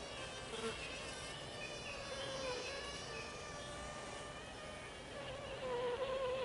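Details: Japanese honey bees inside a hive box in swarming season, a colony past its second swarm with new queens emerging, 20 April 2022: a steady, faintly wavering tone with overtones, sharpening near the end, over a dense hive hum.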